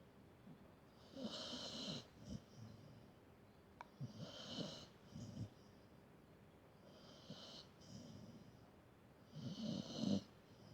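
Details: Dog asleep, snoring in a steady cycle: four raspy, hissing breaths about every three seconds, each swelling and fading, with quiet pauses between and a single faint click.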